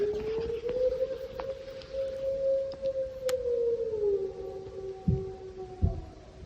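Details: Gray wolves howling on a quiet night in the Northwoods of Michigan's Upper Peninsula, heard from a cabin and seemingly not far away: a long, steady howl that swells slightly, then slides lower and holds.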